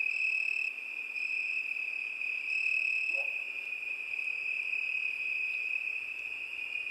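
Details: Steady high cricket trill on a summer night, a constant shrill ringing with gentle pulses in loudness. A single faint lower chirp comes midway.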